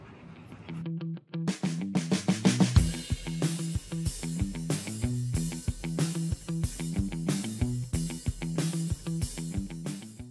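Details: A drum kit plays a steady beat with bass drum, snare and cymbals, and no animal voice is heard. Only percussion and music fill the recording.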